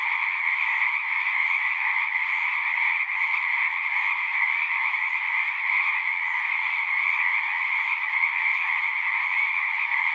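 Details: Natural night-style frog chorus: overlapping trills blend into one steady, high buzzing wall of sound in two bands, with slight ripples in intensity and no pauses.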